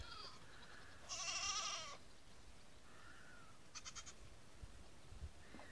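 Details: First-day Nigerian Dwarf goat kids following a person outdoors in the morning: one strong, high, shaky bleat of under a second, then fainter short cries and light clicks against a hissy background.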